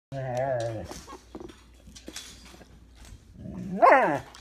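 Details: A dog whose owner says it sounds like a moose gives a low, drawn-out voiced call with a wavering tone, then a short rising yelp near the end.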